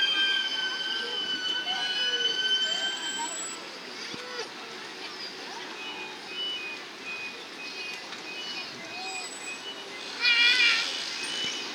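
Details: Captive killer whales at SeaWorld San Diego, March 26, 2017, give high, squealing whistles and bending tones sliding up and down, made with the blowhole's muscular flaps, as a trainer talks over them during a presentation.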